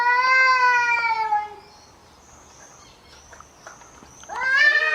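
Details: A cat in a fight gives a loud descending yowl, then quiet with faint thin high tones, and another rising yowl starts at the end.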